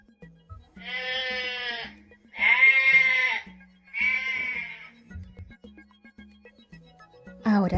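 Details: Sheep bleating for a children's farm-animal sound lesson: three long, wavering, nasal bleats, each close to a second long, over a soft plucked music backing. A brief spoken word comes at the end.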